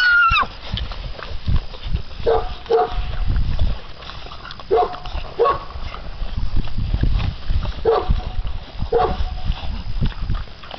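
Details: American Bandog Mastiff puppies, six weeks old, pull at a chicken on a string in a temperament test of prey drive and holding power; brief yelping cries in pairs, spaced a few seconds apart, over heavy low scuffling noise.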